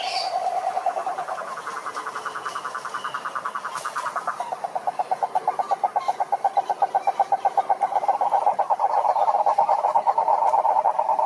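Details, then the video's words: Frogs singing together at a pond in nature: fast pulsed croaks, about four pulses per second in the clearest stretch, blending into an overlapping rhythmic chorus that swells louder near the end. "Sapos Cantando na Lagoa"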